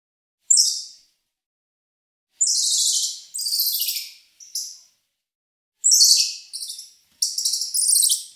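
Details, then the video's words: Squirrel monkey giving short, very high, hissy chattering bursts, some sliding downward, in groups separated by pauses of one to two seconds, with no other sounds. "Squirrel Monkey Sound"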